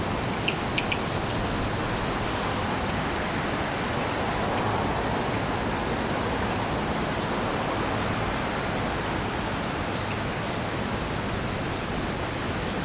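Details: Night insects sing under a full moon at Nagahama-cho, Naze, Amami Oshima, Japan, in mid-August 2011. A continuous very high, finely pulsed trill throbs evenly about three times per second, with a few faint higher chirps early on.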